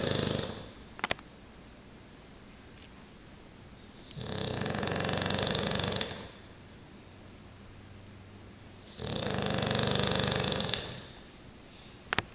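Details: English Bulldog snoring: slow, noisy, breathy rasps of about two seconds each, separated by quieter breaths, with a couple of short clicks.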